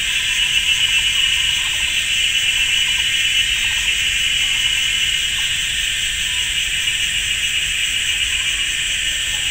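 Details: Cicadas in the GuanYin Shan forest, Taiwan, on a sunny summer Sunday afternoon, fill the air with an ear-deafening, unbroken shrill buzzing drone with a pulsing texture, recorded from a camera on a pole.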